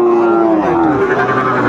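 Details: Sahiwal bull calves at a Comilla, Bangladesh purchase, 1 October 2024: one sustained moo slowly falls in pitch for about a second and then fades. Men call out prices in Bengali over a busy crowd.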